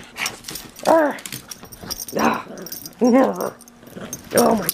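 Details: Pug mauling a stuffed toy indoors, making three arched, whiny grunting noises roughly every 1.5 seconds, with a person's excited encouraging voice between them.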